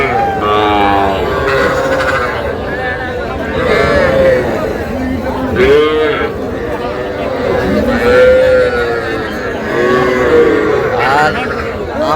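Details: Calves, young bulls and heifers at a crowded cattle market in Madaripur, Bangladesh, bought by a farmer; several short rising-falling moos and bleat-like calls stand out over constant crowd chatter and bargaining voices.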